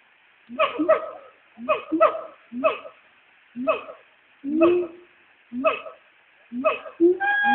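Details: Two Black Siamangs in the trees at the Nashville Zoo calling to each other near noon, phone recording: a steady run of short rising hooting notes, roughly one per second, each with bright harmonics.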